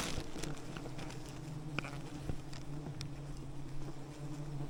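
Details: Wild bees swarming over an enormous rainforest honeycomb as honey hunters approach with smoke; a continuous deep, even buzzing drone fills the recording, broken by scattered sharp clicks and taps.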